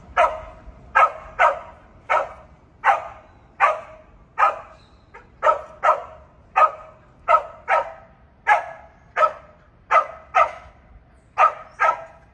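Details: Border Collie barking during search and rescue training: a long run of about nineteen sharp, mid-pitched barks, loosely spaced roughly every half second to second, steady in loudness, with a faint low background rumble.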